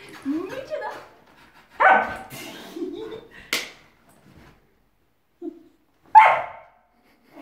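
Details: Lulu, a rescued four-year-old female whippet, going crazy indoors: rising nasal whines and sharp high yips in short bursts separated by pauses, with human voices mixed in.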